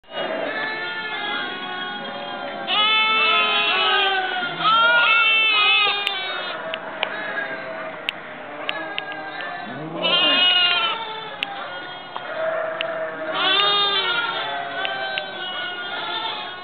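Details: Lambs recorded in November 2009, many overlapping bleats from several animals, harmonic wavering cries rising and falling, some long and some short, forming a near-continuous chorus with brief clicks.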